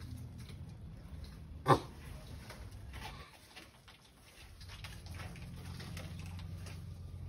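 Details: Sulcata tortoise kept as a pet, calling during mating: one sharp, loud croaking grunt near the two-second mark, then a low steady hum and quiet rustling.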